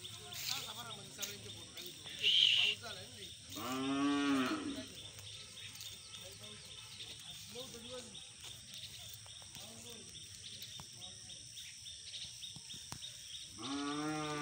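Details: Black aggressive Hallikar bull gives a drawn-out bellowing moo, arching up and back down, near the middle, with a second bellow starting at the very end; human speech and faint chirps fill the gaps.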